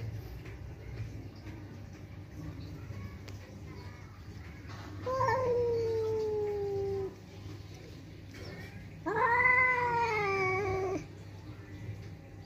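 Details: Pet village cat growling and yowling in anger because another cat came to the house: two drawn-out, wavering wails about two seconds each, the second higher and stronger, over a low background hum and a brief spoken word.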